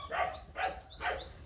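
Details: Playful Rottweiler pups, Nano and Nina, young kennel-kept dogs: three quiet, rounded barks spaced about half a second apart, nothing else clearly heard.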